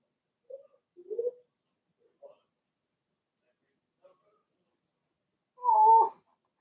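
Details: Blenheim Cavalier King Charles Spaniel puppy in an indoor pen, one of a litter of six: a few faint soft whimpers, then a single louder, drawn-out wavering whine near the end.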